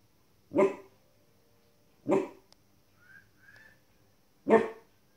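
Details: A 15-week-old female Border Collie puppy barks at wolves and other animals on TV, giving three sharp, single barks spaced a couple of seconds apart.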